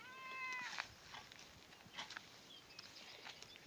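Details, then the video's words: Domestic cat meowing after its owner went to the garden without it, searching for her outdoors: one short drawn-out harmonic meow with a falling tail, followed by rustling, footsteps and faint outdoor background noise. "My cat went looking for me!"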